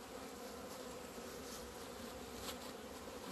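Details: Honey bees leaving the hive in February 2020 after two months indoors, flying out into the sun on a warm day; steady dense hum of many bees with no pauses throughout.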